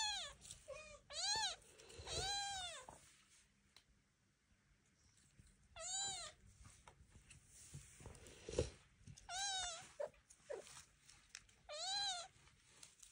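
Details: Indoors, young Devon Rex kittens learning to walk under their mother's and aunt's eye give repeated high, bent meows, each about half a second long, spaced every few seconds, with faint thumps and scuffling between calls.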